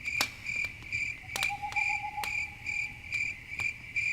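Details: Night ambience of crickets by a campfire, their shrill chirps pulsing roughly twice per second, a lower steady buzzing note drawn out for a second or two midway, and occasional loud snaps of burning wood.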